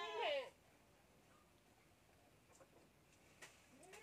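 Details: Goat kid bottle-feeding on milk lets out one loud, short, falling bleat at the start, followed by near silence with faint taps and a small rising cry at the very end.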